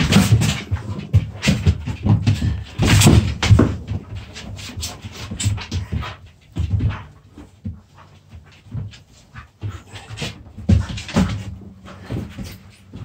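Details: Dogs play-fighting as puppies: dense growling and scuffling for the first six seconds, then quieter panting and short grunts with scattered snaps, over a constant low hum and a faint voice.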